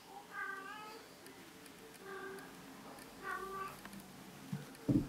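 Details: Female Bengal cat in heat, a mother with kittens, singing her special mating song indoors: drawn-out, wavering harmonic yowls repeated about every one and a half seconds, with faint speech and a sharp knock at the end.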